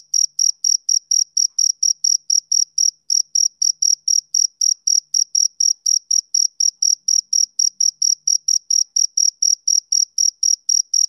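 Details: Male cricket chirping steadily: short, high, pure chirps repeated about four times per second in an even, unbroken rhythm, with a faint higher overtone and no other sounds.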